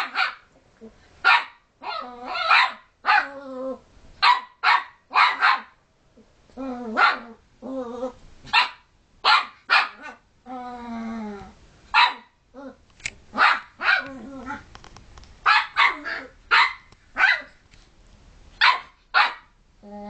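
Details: Puppy pestering other household dogs that want to sleep, giving a rapid series of short, sharp barks and yips, some drawn into whiny harmonic yelps, bursts coming about every half second with brief pauses between.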